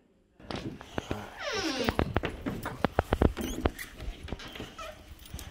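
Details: Two Boxer dogs greeting their owner with excitement at pickup from dog daycare, indoors; a long high whine sweeps downward, then sharp tapping and scuffling follow, with a person talking to the dogs.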